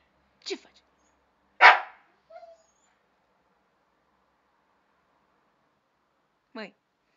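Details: Pet dogs on a terrace, vocalising back while being told off for refusing to get down. Short, sharp barks come at the start, then a lone rising whine-like yelp near the end. Between them are long quiet gaps and a man speaking Romanian.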